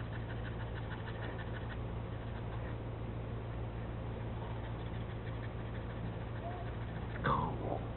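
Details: A French Bulldog pants steadily, then lets out a short, deep burp.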